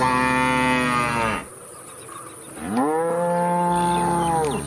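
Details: Cow mooing twice: a loud moo trailing off as the clip opens, then after a short pause another rising, sustained moo that levels and drops at the end, with a faint constant high hum.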